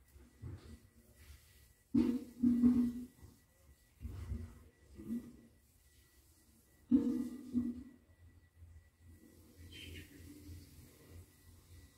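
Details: Soft low thumps, rustles and faint room hum with no animal calls. A couple of sharper knocks stand out, but no squeaks or other voices can be picked out.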